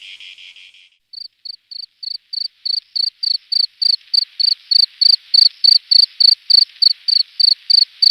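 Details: A cricket chirps loudly at night in jungle, giving short, high chirps repeated steadily, about three every second.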